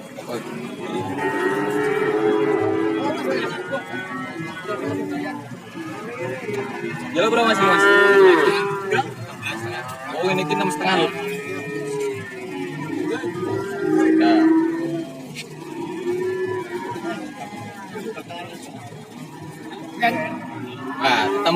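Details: Cattle at the Warujayeng livestock market in Nganjuk, Indonesia, among breeds such as Brahman and Limousin; several low harmonic moos rise and fall across the clip, one loud drawn-out bellow near the middle, with crowd chatter and market bustle throughout.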